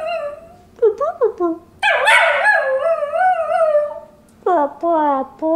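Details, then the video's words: Domestic dog singing: quick wavering yelps lead into a loud, wobbling howl of about two seconds, followed by a few short falling yelps after a pause. "Singing Dog"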